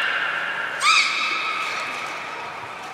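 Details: Beluga at Port of Nagoya Public Aquarium during training of Gray, Mirai and Nico, 2018; one short arched chirp over a steady harmonic drone.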